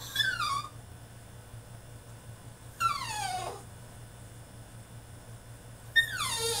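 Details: Caged French Bulldog male in a tantrum, giving three high whines roughly three seconds apart, each sweeping sharply downward in pitch, the middle one longest and wavering; quiet pauses between cries and a constant low electrical hum.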